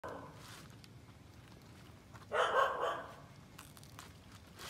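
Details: An Alaskan Malamute exploring outside around the house, past the gate for the first time, gives a single short, throaty bark against a quiet outdoor background.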